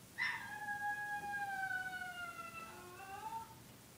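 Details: Young dog giving one sustained howl that starts with a sharp onset, holds a steady tone and then slowly falls in pitch, ending in a brief wavering tail.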